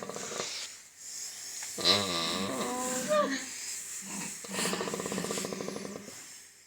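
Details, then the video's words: Pig making noises while its teeth are checked: a wavering, harmonic squeal that rises and falls, followed by a run of rapid, buzzy grunts, recorded indoors. "Cute Pig 🐷 noises while having teeth checked"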